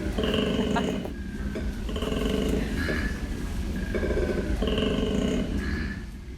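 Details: A koala's deep, rasping, snore-like bellow pulses in bursts, a warning that this tree is its own and others should keep away, a form of territorial marking.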